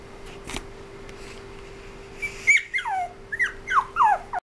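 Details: Whimpering toy poodle: after a quiet start with a soft knock, a string of about six high, plaintive whines, each sliding down in pitch, follow close together before an abrupt cutoff; constant faint hum behind.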